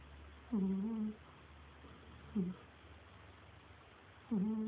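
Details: Snoring from a cat named Cagney, three squeaky, humming breaths with a wobbling pitch, the middle one very brief, separated by quiet pauses in a small room with a low background drone.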